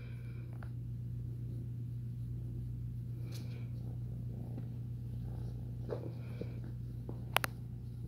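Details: Ex-feral foster kitten, a domestic cat about three to four months old, purring while kneading (making biscuits) indoors: a steady, low, continuous purr running throughout, with a few faint clicks and taps near the end.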